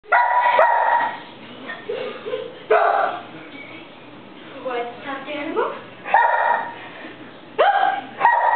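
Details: Old English Sheepdog playing tag with people: short, sharp harmonic barks in separate bursts, about five across the clip, with people talking and laughing between them.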